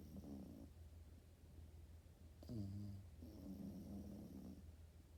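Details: Sleeping French Bulldog puppy snoring in rough, buzzy breaths, one snore at the start, a louder snorting snore mid-way, then a longer rattling snore, with a constant low hum underneath.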